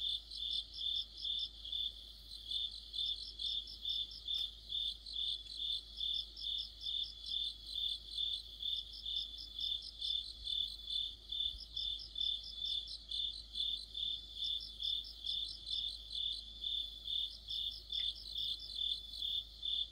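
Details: Crickets and their insect companions in an autumn chorus. Constant high chirping pulses run throughout at a brisk, regular pace, with repeated bursts of rapid, even higher pulses from a second singer every few seconds.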